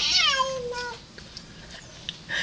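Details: A pet cat indoors, hostile toward a cat outside, lets out a loud wailing cry of about one second that starts high and falls, followed by near silence and faint household sounds.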